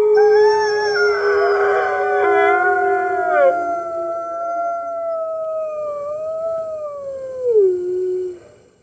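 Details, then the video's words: Morning howling of red wolves joining the other wolves at the NY Wolf Conservation Center, March 15, 2013, from a webcam: a dense overlapping start thinning to one long howl that wavers gently and drops at its end. "Red Wolves Howling - Early Morning"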